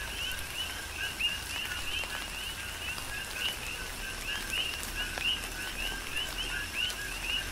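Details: Big Island, Hawaii: coqui frogs sing through a tropical downpour, their bright rising 'qui' notes following lower 'co' tones in a constant interlocking rhythm, while rain drips and splashes on surfaces nearby.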